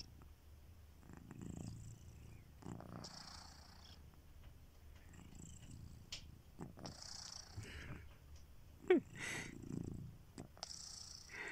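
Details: Kitiboy, a pet domestic cat, snoring while asleep indoors: soft, breathy rasping snores rising and fading every few seconds, low and quiet, in a still room.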